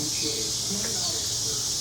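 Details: Brood XXIII periodical cicadas, the 13-year Mississippi Valley Brood, in chorus on a summer evening in June 2015: an unbroken, shrill, hissing wall of insect sound, with soft murmuring voices of people nearby.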